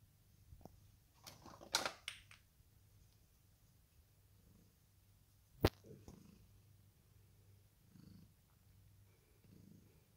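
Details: Purring from the Ragdoll cats Kyra and Lizzy, relaxing through a lazy day: a continuous low pulsing rumble beneath scattered crinkly rustles early on and a single sharp click midway.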